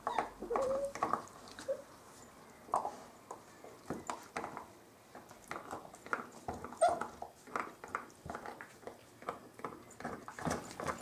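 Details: Playful Bearded Collie puppies of the M litter on a roof terrace give brief high whining squeaks among busy scuffling and clattering, the thin whimpers rising and falling now and then over a steady patter of play.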